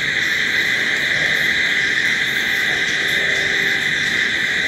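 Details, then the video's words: Crickets chirp through the night in an unbroken, high, buzzing wall of sound. Light pulsing accents ride above the drone. "Sounds of Night Crickets"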